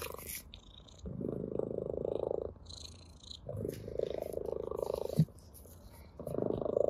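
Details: Playful ginger cat purring with pleasure as it toys with a blade of grass; long throbbing purr swells of over a second, one sharp click midway, light rustling noises around.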